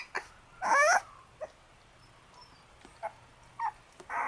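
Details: Shiba Inu puppy from a black and white sibling litter born 10 June, giving one loud wavering whimper early on, then faint short squeaks amid soft rustling.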